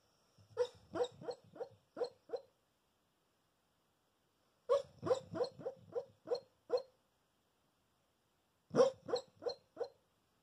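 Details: Sleeping Staffordshire bull terrier x cocker spaniel cross dog making giggling, laughing sounds: three bursts of quick, evenly spaced huffing pulses, five to seven per burst, separated by short silences.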